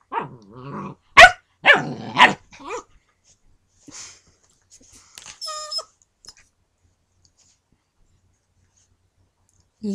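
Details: Dakota, a new female German Shepherd puppy, plays with Bowser, a husky who shies away when she barks. A low wavering moan opens, then three sharp barks close together, followed by a brief tonal whine and quiet gaps.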